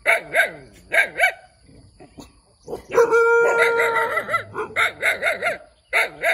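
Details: A small puppy barks in quick bursts, high and sharp with paired yaps, while a long, steady, whiny tone holds for over a second in the middle before the rapid yapping resumes.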